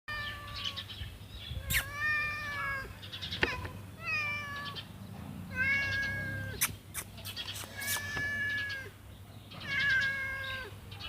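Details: A cute cat meows again and again, each meow a drawn-out, tonal cry that rises and then falls. A few sharp clicks and knocks are heard between the calls.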